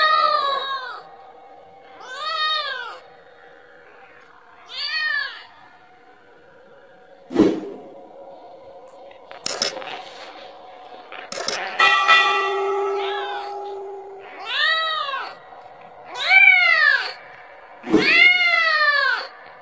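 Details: Kitten calling its mother for milk, giving shorter arched meows in an uneven series, interrupted midway by sharp clicks, knocks and brief handling noises before the mewing resumes loudly toward the end.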